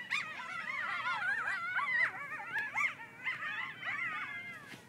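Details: Griffith Park coyotes in a frantic group chorus said to sound like something being killed: layered quavering yips and short sliding howls, overlapping without pause, sharp peaks around the second and third seconds, fading near the end.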